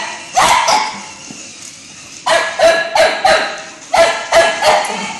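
A Cocker Spaniel gives a run of sharp, mid-pitched barks, some doubled, arriving in uneven clusters. A brief pause separates the first barks from a faster volley that follows.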